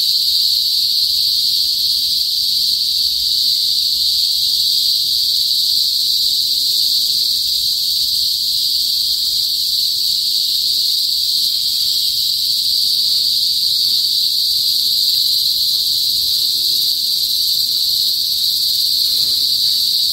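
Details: Cicadas (kuliglig) in a northern Philippine province, where they usually sing loudly before sunset, produce a steady, piercing buzz held unbroken at a high pitch.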